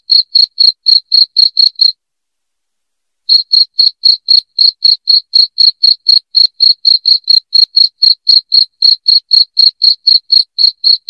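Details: A cricket chirps loudly in quick, regular pulses, stops for just over a second, then resumes the same steady beat of about four a second. The recording is intended to chase rats from a house.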